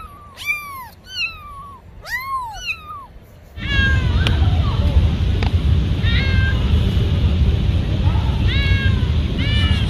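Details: Cat giving quick arched meows, rising then falling, three in a row. A loud rumbling noise then begins, and fainter meows continue through it.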